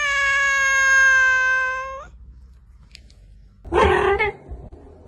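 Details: Domestic cat, one of several ranked as funny: a long steady, flat meow held for about two seconds, then silence and a short harsh, noisy yowl near the end.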